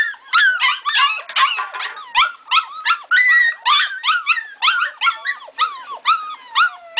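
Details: Several puppies, a pit bull and Labrador mix of litters, whimpering and yipping continuously: high, wavering cries with bending pitch, overlapping one another in quick bursts about every half second.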